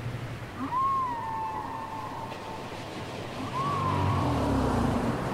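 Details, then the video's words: Two matching whale song units from a cassette recording, about three seconds apart, each a bright whistled cry that rises, arches and slides gently down into a long trailing tone, over faint low rumble and hiss. "Les chants secrets des baleines"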